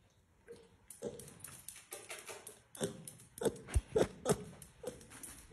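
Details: Bellota, a blind wild boar piglet born sick and orphaned after losing its mother and siblings, now cared for daily, gives short low grunts in quick uneven runs, several per second, with rustling and soft knocks in a small room.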